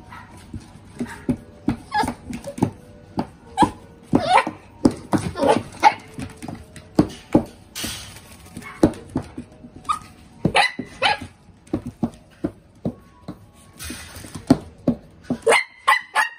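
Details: Male black-and-tan Miniature Dachshund born June 2020, giving short whimpering and yipping sounds in quick irregular bursts, some high and tonal, with clicks and handling noises between calls.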